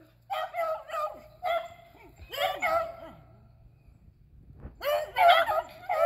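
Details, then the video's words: Squirrel-hunting beagles Athena, Zeus and River, April 2020, let out a series of long, mournful bays that slide downward, overlapping one another, then pause before a fresh loud chorus. "Beagles Hunting Squirrels"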